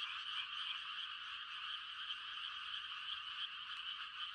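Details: Many frogs calling together at night in the countryside during rice-planting season, mating calls blending into an unbroken buzzing chorus with rapid overlapping pulses and a level, steady loudness.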